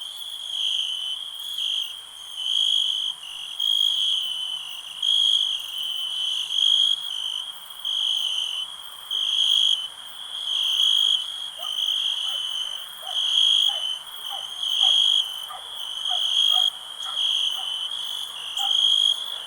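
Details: Continuous high cricket trill in rhythmic pulses, rising and falling in loudness roughly every one and a half seconds, a faint low hum and scattered soft chirps beneath.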